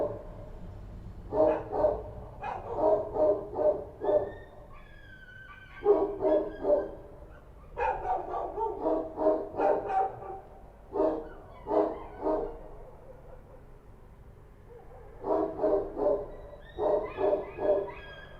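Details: Kochi street dogs in Kabul bark at night in quick bursts of deep, rough barks, pausing briefly between volleys.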